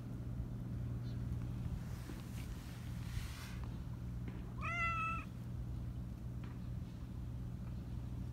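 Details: A talkative black Persian cat with a high voice gives a single high, slightly wavering meow over a steady low hum.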